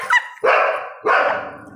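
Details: Labrador Retriever barking at her reflection on first seeing herself in a mirror: a brief high yip followed by two loud, rough barks about half a second apart, indoors.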